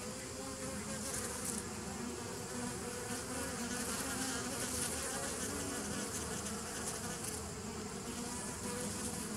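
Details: Honey bees recorded on 27 September 2018: a dense, unbroken droning hum with steady low tonal bands, overlaid by soft hissy flickers high up, holding an even loudness throughout.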